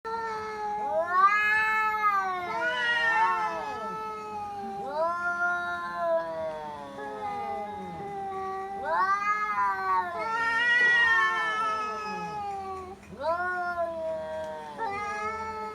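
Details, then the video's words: Two domestic cats in Bangladesh, a household cat and a neighbour's cat, in a standoff fight: long wavering yowls rising and falling in pitch, overlapping caterwauls in drawn-out bouts separated by short pauses, with a steady low hum behind. "Funny Cat Fight | Funny cat sound"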